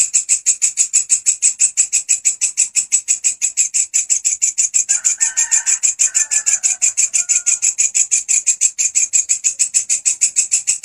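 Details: Relentless grasshopper song meant for training songbirds: a piercing, dry buzz broken into rapid regular pulses, about three per second, with a brief soft chirping sound mid-run.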